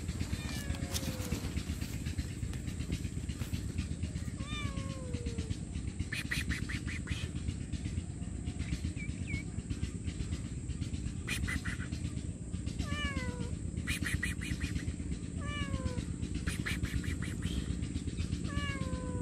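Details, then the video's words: Hungry stray homeless cat meowing loudly for food and shelter, giving about a dozen short, falling meows at irregular intervals over a constant low rumbling hum and steady high hiss. "Hungry Poor Stray Homeless Cat Meowing Loudly For Food & Shelter"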